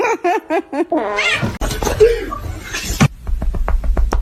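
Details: Cat giving a quick run of short, clipped meows in the first second, followed by laughter and noisy household sounds.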